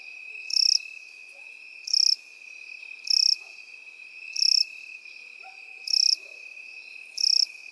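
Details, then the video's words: Field grass with crickets and grasshoppers; sharp high chirps pulse about every 1.3 seconds above a constant shrill continuous trill, six bursts in all, a few faint low rustles beneath. "Сверчки и кузнечики в полевой траве"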